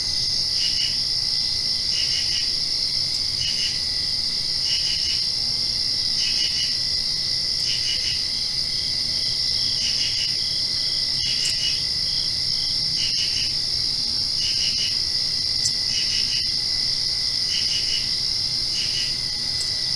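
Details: Night crickets heard just after rainfall, a continuous high-pitched ringing drone overlaid by short bursts of two to four chirps recurring about once a second, several callers blending into one dense insect chorus.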